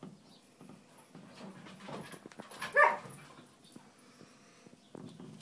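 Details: Two dogs playing together, an Irish Wolfhound and a heeler x corgi cross, the foster dog on his second day in the home; a single short whining yelp midway, surrounded by soft thuds and shuffling from the play.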